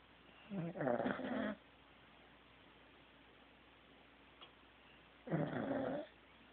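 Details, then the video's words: Sleeping Corgi named Teddy: two rough, throaty snores about four and a half seconds apart, each a grainy, buzzing breath lasting around a second, separated by near silence in a quiet room. "Teddy SNORING"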